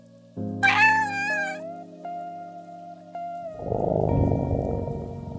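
A Burmese cat gives one clear, drawn-out meow that rises and then falls, over steady background music that gives way to a rushing noise.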